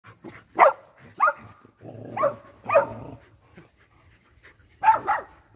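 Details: A Cardigan Welsh Corgi, a pet, greeting people and licking their faces and hands, filmed 4 November 2022: excited high whining yelps in short bursts, one roughly every second, with a pause before a final pair.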